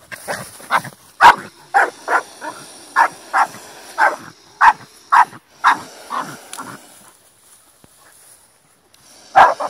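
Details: Fighting Staffordshire Bull Terrier barking: a quick series of sharp, repeated barks over about seven seconds, then near silence before a final loud bark.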